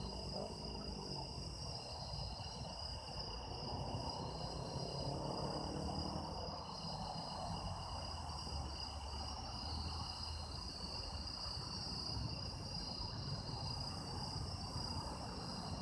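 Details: Autumn insects recorded outdoors for use as sound effects: several steady, shimmering trills hold constant high pitches, with a pulsing very high tone overhead and a low rumbling background throughout.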